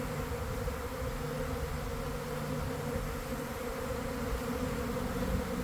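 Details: A honey bee swarm forming by garden hives at about one in the afternoon, following a week of cold and damp weather, recorded up close: an unbroken, even droning hum with a steady low tone and a brighter overtone above it.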